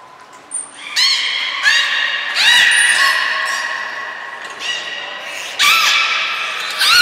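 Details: Belugas Nana, Mirai and Niko in training at Nagoya Port Aquarium, January 2021: a string of loud, harmonic squeals, several sweeping sharply upward, some sustained, coming in bursts about every second in an echoing indoor space.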